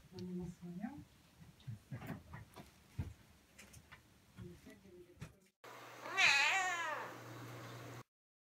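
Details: Cats seeing a locust for the first time after it was caught and brought indoors. Soft scattered murmurs and noises are followed by one loud, drawn-out meow that bends up and down.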